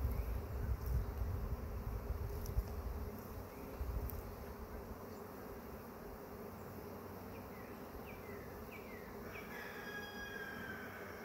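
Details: Capture of the year's first honey bee swarm, its constant droning buzz louder at the start then settling to an even hum, while small birds give quick chirps and twittering near the end.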